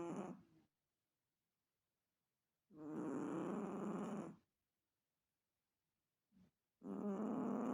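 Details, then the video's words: Chihuahua snoring: rough, rattling breaths of about one and a half seconds, separated by silent pauses, with a brief faint exhale between the louder snores; no other sounds. "Chihuahua Roncando"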